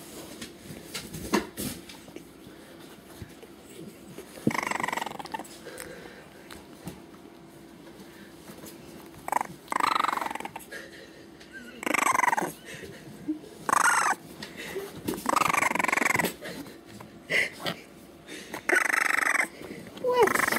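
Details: A three-week-old French Bulldog puppy gives bursts of high, nasal whines and yelps, wanting to be picked up; recorded really close.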